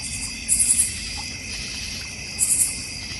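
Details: Backyard crickets in the North Georgia Mountains near a koi pond and bird feeder: a continuous shrill insect drone, broken twice by short clusters of sharp, rapid high chirps about two seconds apart.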